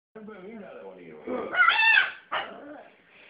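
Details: A three-month-old Cavalier King Charles Spaniel puppy gives a thin, high, strained whine that rises and breaks into a short sharp yip, with a person talking softly around the calls.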